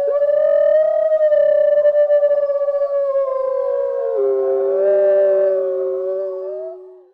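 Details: Gray wolf (Canis lupus), howl.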